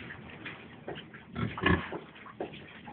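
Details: Four-day-old piglets suckling; soft short grunts and squeaks come in irregular bursts, with a louder cluster of grunts in the middle.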